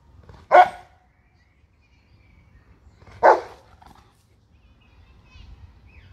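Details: Bernese Mountain Dog, a pet in a two-dog household, giving two loud, short, sharp barks about two and a half seconds apart, with quiet low background noise between them.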